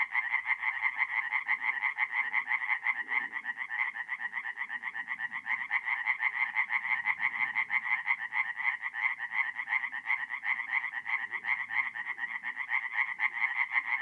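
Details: Several tree frogs chorus through the night at a forest pond in North-East Italy in mid-April, a dense, unbroken rattle of overlapping nasal croaks, with a soft low murmur beneath.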